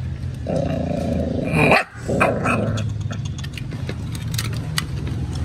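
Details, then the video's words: Stray puppies rescued from a small cottage: a sustained nasal whine, then a sharp burst and scattered clicks and knocks, with steady low rumbling underneath. "Rescued two poor strayed puppies at small cottage"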